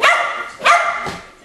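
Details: Keeshond dogs Charlie and Fiffi barking: three sharp, loud barks in quick succession, about half a second apart, the last one softer.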